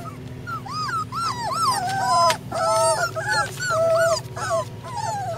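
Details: Flat-coated Retriever puppy siblings whining in a string of short rising-falling whimpers and yips, some held longer, about one to two per second, over a constant low hum.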